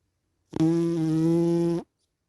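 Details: One steady, droning snore from a sleeping cat, about one and a quarter seconds long, evenly pitched and rasping throughout, in an otherwise silent room.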